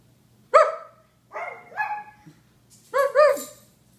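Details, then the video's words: Japanese Chins bark in short yapping bursts: one clear ringing yip, then a drawn-out double bark, then a rising-falling pair of yelps with a faint hiss, over a low steady hum. "Barking Japanese Chins"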